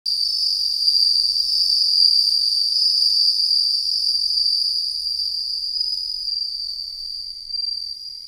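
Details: Bell cricket, named by its Japanese name suzumushi, giving a continuous high ringing trill with a rapid, slightly uneven pulse that holds steady throughout, then softens toward the end; no other sounds.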